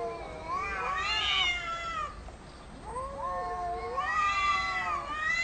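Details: Arguing cats exchange two bouts of bending, wavering meows, each rising then sliding down, with a short quiet gap between them.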